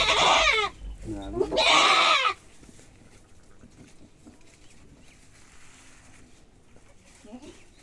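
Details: Billy goat being castrated gives two loud, harsh, strained bleats, each roughly a second long, one right after the other, followed by quiet with faint human voices in the background.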